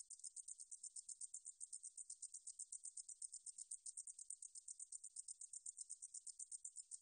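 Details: Steady, rapid stridulation from the meadow katydid 등줄어리쌕쌔기, 2020 National Institute of Biological Resources recording: a thin, sizzling series of closely spaced pulses at an even rhythm, nothing else audible.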